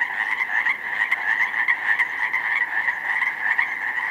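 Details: Massed Pacific chorus frogs, newly matured from tadpoles, calling in a snowmelt-flooded slough meadow on 19 May; steady dense croaking chorus with many voices layered, no pauses.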